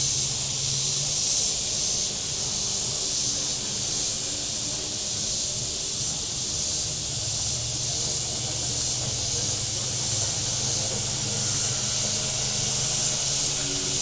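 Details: Cicadas on the shore of Table Rock Lake in southern Missouri on a very warm Saturday, a steady dense high-pitched hiss with slight swells, over the low hum of boat engines on the lake.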